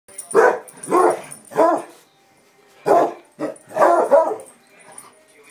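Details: Two pet Basset Hounds barking in excitement: six loud, full-throated barks in two bursts of three, about half a second apart, with a short quiet gap between the bursts.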